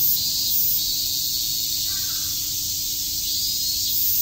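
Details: A continuous high, sizzling drone from many cicadas on a summer day at Shakujii Park in Tokyo, unbroken for the whole stretch, with a steady low hum and one faint short call in the middle.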